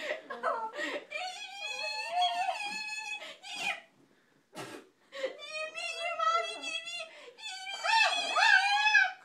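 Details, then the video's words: Pekingese dog coaxed to "talk" indoors, giving long harmonic whining, yowling vocalizations in drawn-out phrases with short breaks, a person's voice and giggling mixed in. "Pekingese talking"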